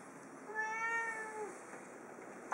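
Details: Indoor cat exploring a room, giving one soft, drawn-out meow lasting about a second, faint against a steady background hiss.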